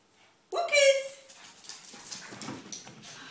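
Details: Barclay, a pet Shih Tzu kept on a constant diet and always out to get fed, lets out one short, high, harmonic-rich whine of under a second indoors, followed by quieter talking and household rustling.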